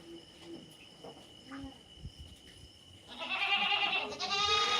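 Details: Quiet background sounds for three seconds, then a loud, sustained, quavering native goat bleat fills the rest, with a second bleat overlapping.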